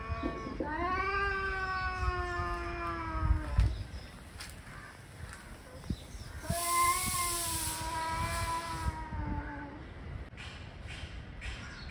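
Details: Angry male cats arguing: a long harmonic yowl opens, fades by four seconds, then another drawn-out wail returns around six to ten seconds, with scattered thumps and background noise between.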